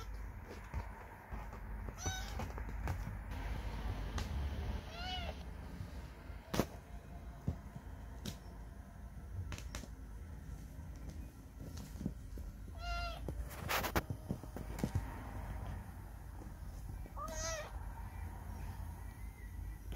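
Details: Lost baby stray cat giving four or five thin, high-pitched meows spaced several seconds apart, some bending downward, against constant low rumble and scattered clicks and knocks.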